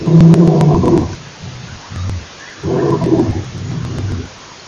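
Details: Male lion roaring at Nkorho Pan, recorded 28 September 2008: deep, loud moaning roars in two long bursts of about a second each, with quieter grunting between them, over faint background hiss.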